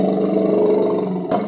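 An angry elephant gives a loud, steady, low-pitched roaring call rich in overtones, breaking off sharply at the end.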